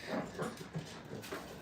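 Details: Five-week-old dog puppies at a training kennel, playing and trying to bite each other; soft, low whimpering grunts come in short bursts roughly every quarter second, with faint background hiss.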